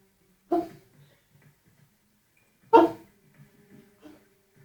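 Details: A sleeping Golden Retriever gives two muffled, stifled woofs a couple of seconds apart while dreaming, apparently having a nightmare.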